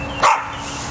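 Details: Max, a pet cocker spaniel afraid of entering a tunnel that holds his treats, lets out one short, sharp bark over a steady low hum.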